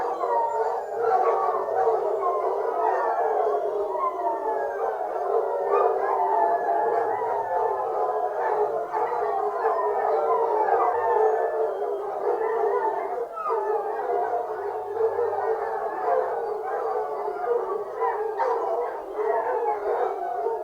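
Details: A pack of foxhounds on a fox hunt bays in a continuous chorus of overlapping, wavering howls, with hunting horns.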